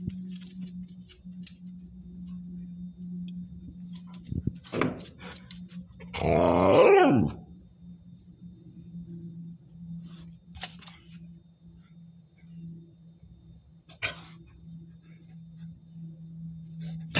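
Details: Kira the dog, confronting a praying mantis, lets out a single loud, harsh bark with falling pitch midway through. Otherwise the stretch is quiet, with a steady low hum and a few sharp clicks.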